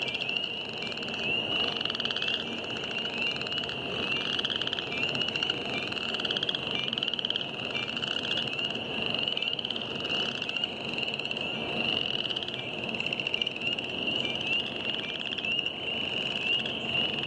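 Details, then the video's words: Spring wetland chorus of spring peepers and Northern chorus frogs, The Wetlands, James River Parks, Richmond, Virginia, March 9, 2014. Unbroken shrill peeps form a constant high band, overlaid by repeated creaky, rising pulsed trills from many frogs. "Spring frogs"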